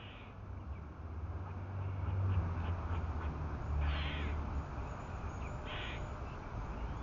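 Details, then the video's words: A squirrel gives harsh, scratchy warning barks over a steady low rumble, alerting others to predators, with two cats nearby. "Squirrels making warning sounds for predators"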